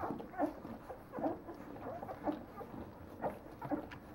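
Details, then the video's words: Nine-day-old Leonberger puppies give short squeaky yelps at regular intervals, roughly one every second, each a brief two-toned peep over faint background shuffling. "Léonbergs 9 jours"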